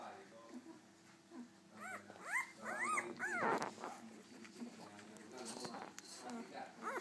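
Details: One-week-old Golden Retriever puppies give a burst of high, arching whimpers and squeals.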